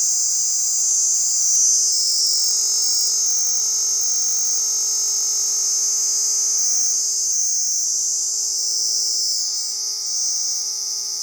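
A cicada gives a steady, high, shrill buzz that drones without a break.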